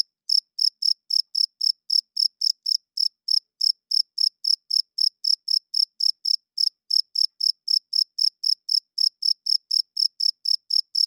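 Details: Cricket chirping loudly at night, the male's wing-rubbing call for attracting females and holding territory: a high, pure chirp repeated about three to four times per second in a steady, even rhythm over a silent background.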